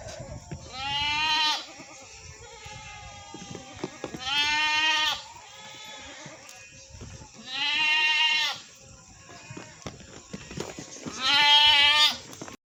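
Goats give loud, quavering bleats, each about a second long, spaced a few seconds apart.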